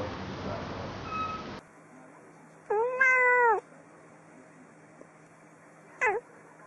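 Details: Domestic cat meowing indoors: one clear, level, nasal meow of about a second in a quiet room, then a brief short chirp-like meow near the end after a hiss of background noise at the start.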